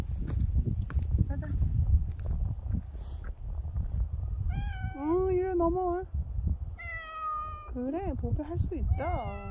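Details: Bobae, a dog-like pet cat, meows repeatedly: a wavering run of meows, then one long flat meow and a few short arched ones, with a person talking throughout and low background rumble.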